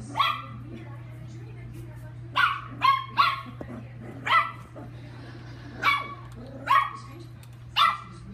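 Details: Chihuahua at playtime, giving sharp high barks singly and in quick pairs, about eight over the stretch with pauses between, over a steady low hum.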